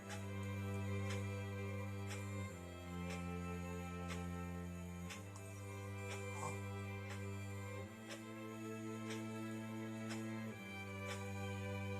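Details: Quiet, sad instrumental music plays with slow chord changes every few seconds and soft chimes, and no animal sound stands out.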